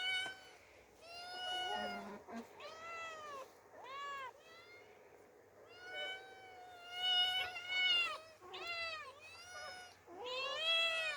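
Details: Two orphaned female kittens encountering open nature for the first time, meowing repeatedly; a dense run of overlapping short and drawn-out meows, some rising, others bending down, varying in loudness throughout.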